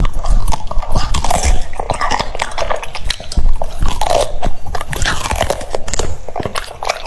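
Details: French Bulldog eating cucumbers indoors, crunching and biting in quick uneven bursts, with sharp wet crunches and low mouth thumps packed closely through the whole stretch.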